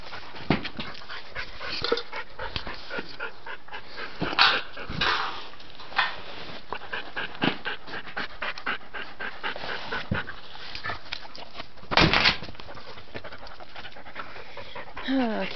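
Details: Dante, a dog who can't get to his stuck toy, pants rapidly and steadily, with sharp rustles and knocks, a few louder scrabbling bursts and a brief rising whimper near the end.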